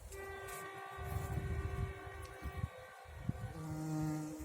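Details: Bumblebee straining as it collects nectar in a garden: a steady, strained drone with layered overtones holding one pitch for about three seconds, then dropping lower near the end, over low wind rumble and a few soft knocks.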